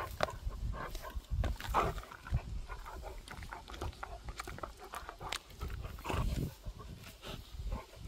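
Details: Gorlock The Destroyer, a dog at play and feeding, makes a run of snorting grunts and huffing breaths, with a sharper nasal squeal-like burst early on and scattered clicking mouth noises.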